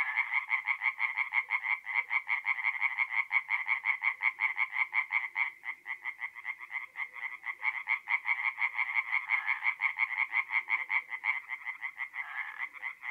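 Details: Night chorus of tree frogs at a forest pond in north-east Italy in mid April; loud, fast, regular pulsed croaking repeated in rolling runs, several frogs overlapping throughout.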